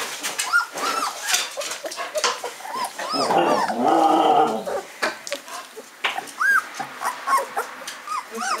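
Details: Fifteen-day-old Hungarian Vizsla puppies of a B litter, eyes newly open and taking first steps, give short arched whimpers and squeaks in rapid irregular bursts, with a louder dense stretch of overlapping cries midway.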